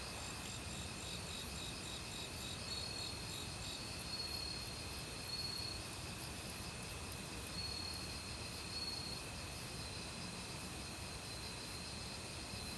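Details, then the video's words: Autumn crickets calling in a forest among various other insects. Steady high-pitched chirping and pulsed trills continue throughout, with short clear notes recurring every second or two, over the constant rush of a mountain stream. "가을 귀뚜라미 소리"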